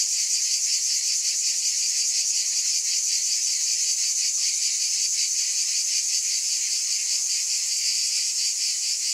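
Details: Cicadas in a steady, unbroken high buzzing drone with a fine rapid pulsing texture, loud and even throughout, no other sounds clear.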